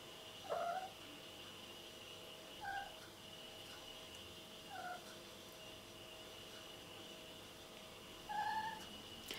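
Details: Mr. Cat, a domestic cat, replies with four short, soft meows spread across about nine seconds, one every two to four seconds. Each is brief and tonal, over a constant background hum.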